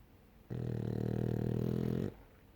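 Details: Sleeping French Bulldog snoring: a single drawn-out, low, rattling snore lasting about a second and a half, steady and buzzy, with quiet room noise before and after.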